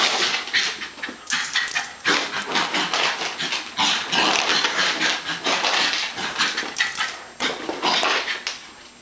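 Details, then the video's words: Zoey the West Highland White Terrier at play: dense, scratchy huffs and rough growl-like bursts packed closely together, loud and broadband, easing off toward the end. "Westie Fun Time"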